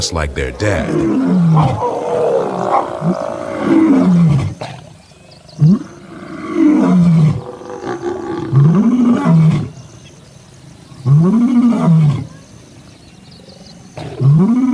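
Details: African lion from a pride, giving a series of deep, arched grunting roars that swell and fall roughly every two seconds, with a low rumble between them; a man speaks briefly at the start.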